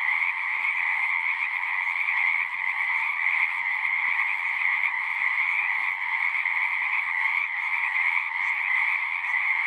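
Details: Numerous frogs singing at a horse-pasture pond, recorded with a Zoom 6: a thick, ringing chorus of overlapping trills holding steady, with small dips in loudness and scattered clicks.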